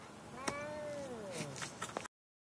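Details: Gilligan, a pet cat made mad by a car ride to the vet, lets out a long complaining meow, rising then sagging over more than a second, with a few clicks and thumps inside the car.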